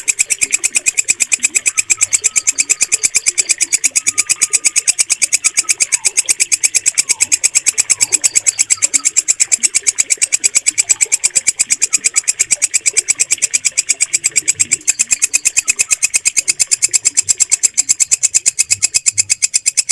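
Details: Bush cricket known locally as walang kecek, recorded for training caged birds to sing. Bright, high-pitched pulsed rasping runs steadily throughout in a fast, machine-like rhythm. Faint soft chirps and low background rumble are heard beneath it.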